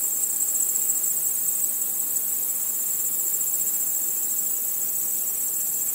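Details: A nocturnal chorus of crickets under a starry night sky: a sustained, high, rapidly pulsing trill that barely varies, over a quiet background hum.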